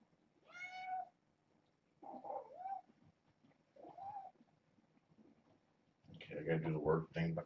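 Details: Kittens, a litter of four females and two males born August 29th to a family pet and raised via Purrfect Pals, mewing insistently in the morning to get out and explore: three high, harmonic mews in the first four seconds, then a louder jumble of noise and voices.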